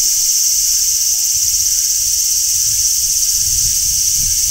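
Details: Continuous shrill shrilling of a large brown cicada on a tree in summer, an even, high, hissing buzz with no pauses, over quiet low outdoor rumble.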